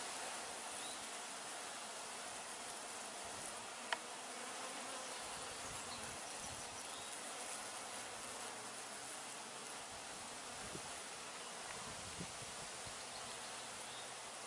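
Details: Honey bees at the hives of an apiary in June 2020, observed close up: a steady, soft, even hum of many wings throughout, with a faint click near the fourth second.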